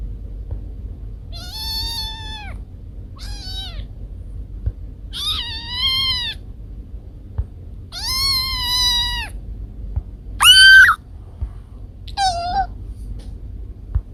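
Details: Meowing from house cats Kiko and Koko: a run of seven varied calls, some short and chirpy, others long and wavering, building to one loud, piercing cry near the end, over a quiet room hum.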